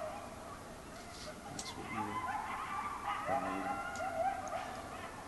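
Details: Coyotes loose in a backyard: scattered high wavering yips and short howls, thickening midway into a brief burst of overlapping quavering calls, with lower harsh barking notes beneath.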